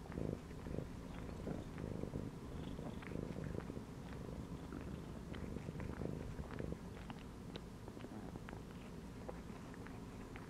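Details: Domestic cat chilling and lying inside a gym belt indoors, purring steadily: a continuous low, rumbling purr with an even pulsing rhythm for the whole stretch, with a few faint soft clicks and rustles.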